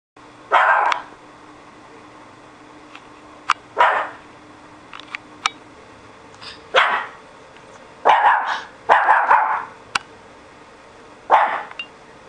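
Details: A pet dog acting as a guard dog, recently started barking a lot: short, loud barks in scattered bursts, some doubled, across about twelve seconds, with sharp clicks and a faint steady hum behind.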